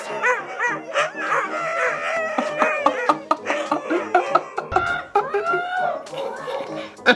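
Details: Many Siberian Huskies howling and screaming together like a crowded doggy daycare, overlapping wavering rising and falling wails and yelps, with music playing underneath.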